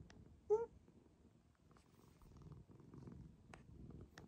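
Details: Affection-seeking domestic cat Maroshiro, a 2014 rescue living in an upstairs cat room, gives one brief rising mew early on, then settles into a quiet, steady purr with small clicks of movement.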